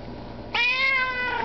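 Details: Russian Blue cat begging for food indoors: a single loud, clear meow starting abruptly, held steady and rich in harmonics, then tapering slightly downward before fading out.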